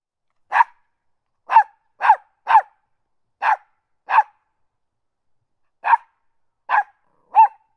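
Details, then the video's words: West Highland White Terrier puppy barking constantly: nine sharp, short yaps in under eight seconds, some in quick pairs and triplets with longer gaps between, against a completely silent, clean background. "Small dog barking sound effect"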